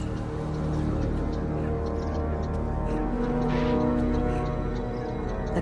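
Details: Dark, tense orchestral music with sustained low tones fills the recording, with no animal voice heard. Steady harmonic drones dominate throughout, with a brief brighter swell near the end.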